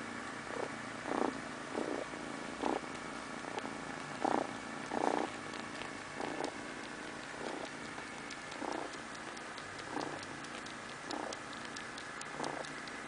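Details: Pet cat purring as it goes to sleep, a steady low rumble with rhythmic louder pulses every second or so, light clicking ticks audible throughout the quiet indoor setting.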